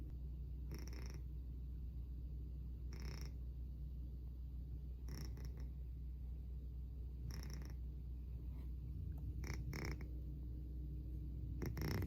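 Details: Loud snores from a sleeping pet cat inside a home. Deep, rumbling inhalations with airy bursts come about every two seconds, steady and unhurried, with constant low background hum.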